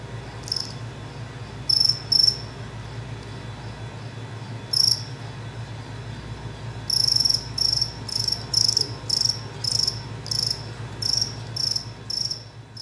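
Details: Spring field cricket (Gryllus veletis), aggressive song: male victory display after fighting a rival.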